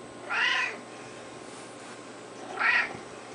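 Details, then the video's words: Domestic cat meowing while being petted indoors: two short harmonic meows about two seconds apart, each rising then falling, with a faint steady hum underneath. "Kitty Cat Meowing, Happy cat"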